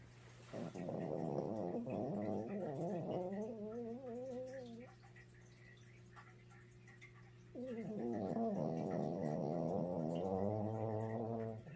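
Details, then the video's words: Small dog asleep and snoring loudly indoors; rough, rattling snores in long drawn breaths with wavering, gargling tones, a quieter stretch in the middle, then loud snoring again. "My Little Snoring Dog"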